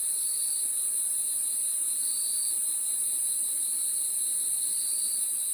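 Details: Crickets at night forming a dense chorus: a steady, very high continuous ringing trill with a fainter lower trill that swells briefly a few times, over a low even hiss; no other sounds.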